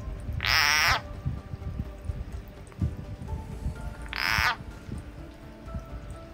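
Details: Frog seized by a snake in a home garden, slowly pulled toward the back of a hive on a summer day; two loud, harsh buzzing screams roughly four seconds apart over low rustling and scraping.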